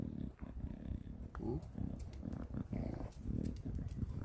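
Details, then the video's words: Khan, a pet English bulldog sulking after coming home from Gageodo, gives low, pulsing snorts and grunts, a rough rumble repeated in short bursts, while a man talks steadily over the sound indoors. "우리 칸이 삐짐"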